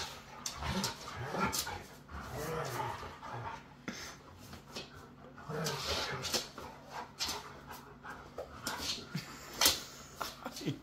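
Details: Siberian Huskies, Otis among them, in rough play: constant scuffling and panting with short rising grumbles and growly vocal bursts throughout, plus occasional human speech.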